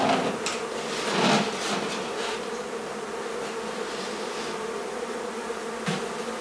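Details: Honey bee hive being taken out of a barn in La Feria, Texas: continuous buzzing hum of the colony, swelling briefly near the start, with a few soft knocks and rustles from handling.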